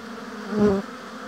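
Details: A single honey bee passes close at a hive in an apiary. Its buzz swells loudly for about a quarter second, then fades back into the soft background hum of the colony.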